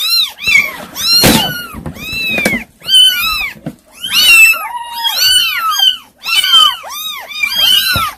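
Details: Several kittens, described as hard to control, mewing together in a dense, overlapping chorus of high arched meows, each rising then falling, with barely a pause between calls and a few sharp knocks in the background.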